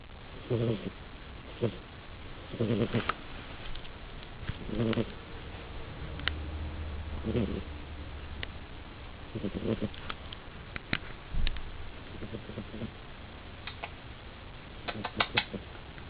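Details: Female pet cat snoring while asleep: soft, rhythmic, low rasping snores repeating roughly every two to two and a half seconds, with scattered faint clicks between breaths.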